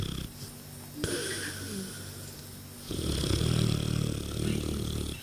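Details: Asleep on 22 June 2014, the Mastiff cross Ra lets out a long, deep, throaty snore after a quieter stretch, with faint talking heard behind it.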